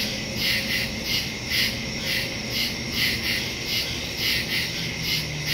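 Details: Nighttime woodland crickets, September 2, 2023, captured with a phone and stereo mic; high chirps pulse in rapid rhythmic bursts roughly twice per second above a continuous shrill drone.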